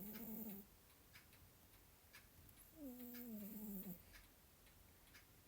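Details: A male domestic cat snoring while asleep. Two drawn-out, buzzy, tonal snores, the second about a second long and gently falling in pitch, with steady ticking from a nearby clock.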